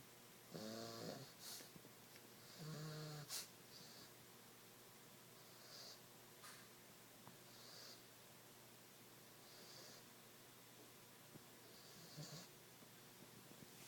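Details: A sleeping female dog snores indoors, starting with two loud, buzzy, harmonic snores about half a second each, then softer breathy exhalations and faint clicks roughly every two seconds in a quiet room.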